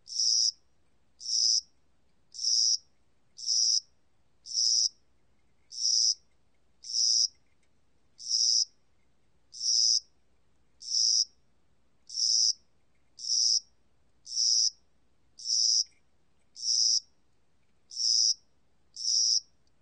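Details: Spring-summer cricket from the National Institute of Biological Resources, 2020: high, buzzy chirps, each under half a second, repeated steadily about once a second, sixteen in a row over a quiet, clean background.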